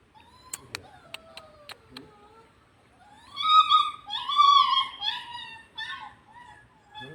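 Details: A mischievous piglet indoors gives a run of high, wavering, whining squeals with strong harmonics, some rising and falling, bunched over about three seconds after a few sharp clicks and knocks.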